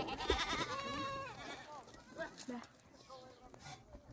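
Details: Goats acquired by a mountain-dwelling nomadic family for their milk and yogurt give a long trembling bleat over the first second and a half, fading into quieter voices and background noise.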